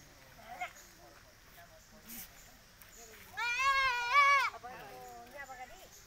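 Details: Goat being given a PP vaccine bleats once: a loud, wavering, harmonic-rich cry of about one second, then softer broken bleats, with faint talking and handling noise around it.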